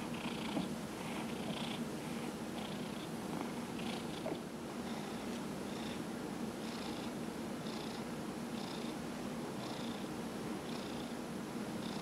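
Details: Fifteen-year-old cat Dillard purring contentedly while his body is rubbed during a November 2018 massage session; low steady purr with regular hand-stroke rustles throughout.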